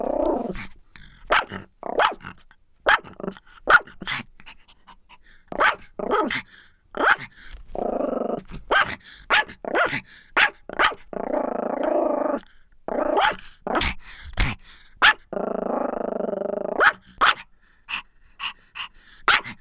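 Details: Pomeranian dog barking and growling; sharp short barks in quick bursts alternate with longer rumbling growls lasting about a second each, repeated throughout with brief pauses.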